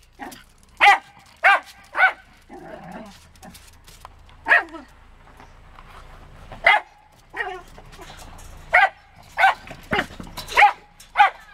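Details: A 12-year-old Wire Fox Terrier named Diva, upset at visiting guests departing, gives bright, sharp barks in irregular bursts, some doubled or tripled, with soft murmuring and faint background noise in the gaps.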